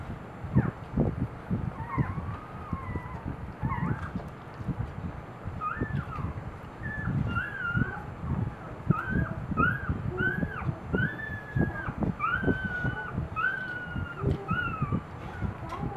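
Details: Newborn Boxer puppies, two days after birth, at a morning feeding with their mother: many short high squeaks and thin whines, some rising then falling, scattered through the clip over constant low rustling and thumping.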